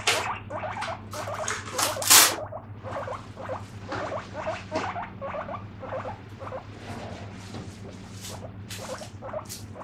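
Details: A guinea pig gives short, repeated high squeaks, "pui pui," over a steady low hum while dishes are being washed.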